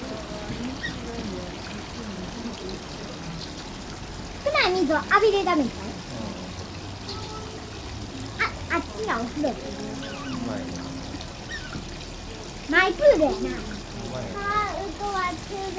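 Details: An Asian small-clawed otter at Oji Zoo, near closing time, gives bursts of high, squeaky whines over trickling water.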